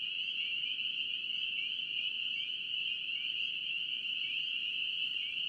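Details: North Carolina spring peepers massed in a loud, unbroken chorus of piercing high peeps, many voices overlapping so the sound rings steadily, with occasional short rising notes audible on top.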